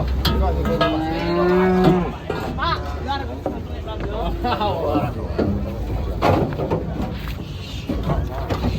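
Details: Large fattened cattle being unloaded from a truck for weighing in Indonesia; drawn-out low moos with a rising harmonic call near the start, amid people talking, background music and handling noise.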